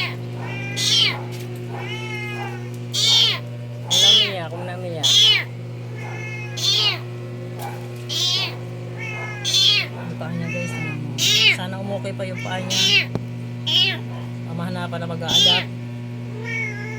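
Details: Rescued kitten, paws crushed after being caught under a vehicle, being given food: about a dozen loud, high, arched meows repeated every one to two seconds, with a constant low electrical hum underneath.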